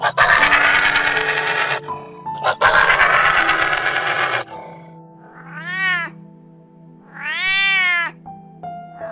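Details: Domestic cat giving two drawn-out, arching meows, each rising then falling, a second or so apart, after a stretch of loud, harsh, noisy sound; light background music plays throughout.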